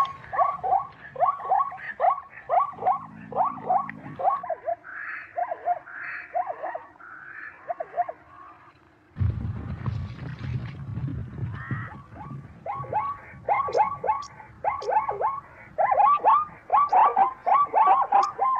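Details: Zebra calling in bursts of sharp, yelping barks that rise then drop in pitch, broken by a quieter stretch with a low rumbling hum, then resuming in rapid, strong series toward the end.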